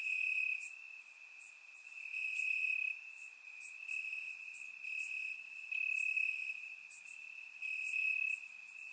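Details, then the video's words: Summer-night crickets chirping in the grass, Bulgaria: a shrill, sustained trill whose loudness rises and falls in waves, with several fainter insects chirping at higher pitch. "Cricket Sounds - Crickets Chirping at Night"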